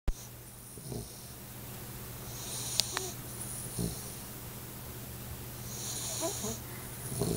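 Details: Eight-week-old Alaskan Malamute puppy asleep indoors under a chair, snoring: soft, airy, wheezy breaths rise and fade about every three and a half seconds over a steady low electrical hum, with a few faint knocks.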